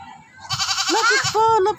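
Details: A neighbour's goat, which a child is trying to feed, gives a long wavering bleat that rises then dips, followed by a second steady nasal bleat, over a child's coaxing voice.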